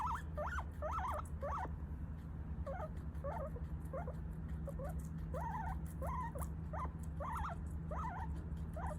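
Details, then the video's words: Angry, upset guinea pig protesting a late snack: spaced, looping whistled squeals that rise and fall, repeated about twice a second over a low steady hum. "간식늦게줫더니 화나고 서러운 기니피그소리"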